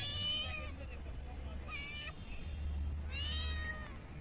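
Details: Kittens, strays fed freshly caught small pond fish, let out three short meows, the middle one brief, over a persistent low hum.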